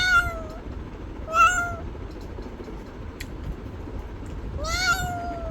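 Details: Cat meowing three times: two short meows close together, then a longer rising-and-falling meow after a pause of about three seconds, with a brief click and low steady hum behind.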